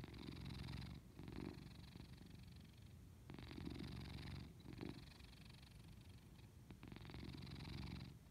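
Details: Cat purring in its sleep indoors, low vibrating rumble pulsing continuously, breathing cycles alternating between stronger and weaker purr phases every second or two, quiet background.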